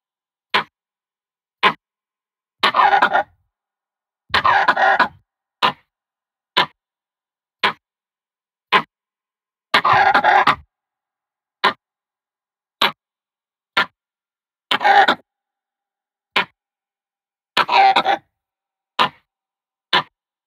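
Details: An angry langur gives harsh barks and rasping grunts, repeated in short bursts as a threat; the sound is meant to scare other monkeys away.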